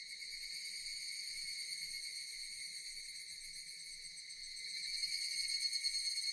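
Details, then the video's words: Continuous high-pitched droning from Japanese cicadas, a pulsing metallic buzz that swells slightly louder near the end, with little else audible. "Japanese cicadas Sound effect"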